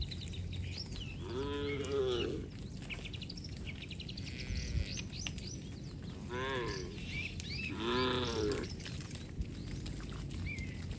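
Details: Tame cattle herd walking home along a village road with their herder, rural Indonesia; several arched, harmonic, fairly high-pitched moos around two, six-and-a-half and eight seconds, with steady background rumble and faint chirps.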